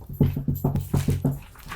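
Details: Two-year-old male Jack Russell Terrier indoors, playing with and jumping at a cardboard box during a house move. Rapid, low, pulsed grunting or panting comes in about seven short bursts over a little more than a second, with a person's voice nearby.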